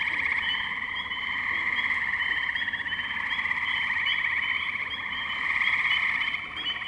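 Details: Wetland tree frogs in Firestone Park, Columbiana, Ohio, recorded 6 May 2023 with a Zoom H2n; a constant bed of pulsed, buzzy trills from many callers, growing louder toward the end.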